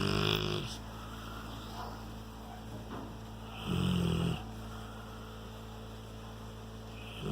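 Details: Rottweiler snoring: steady low rumbling breaths with a louder, harsher snore swelling around the middle, in a quiet indoor setting.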